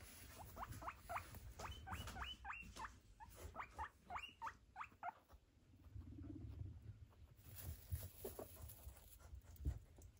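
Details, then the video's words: Foster-home guinea pigs at Sunday brunch, among them a neutered male and his female companion, both recovering after surgery. A run of short rising squeaks comes every half second or so over steady low munching and rustling, then quieter chewing. "Sonntagsbrunch mit unseren Meerschweinchen"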